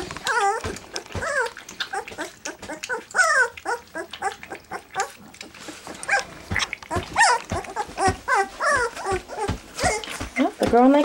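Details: Three-week-old black English Labrador Retriever puppies tasting goat's milk for the first time keep up a busy chorus of brief high whines and squeaky yelps, with lapping and shuffling in a small box.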